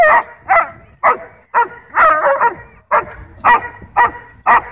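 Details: German Shepherd at a dog park, territorial and aggressive over toys, barking to demand a ball from its owner: about nine sharp, harmonic barks in under five seconds, some doubled, with brief silent gaps between.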